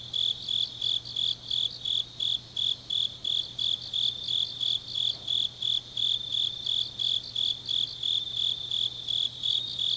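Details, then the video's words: In Changnyeong, Korea, grass insects call through a deep autumn night, giving evenly spaced high chirps near three per second, clear and ringing, over a quiet background with a slight low-pitched hum. "깊은밤 가을 풀벌레 소리"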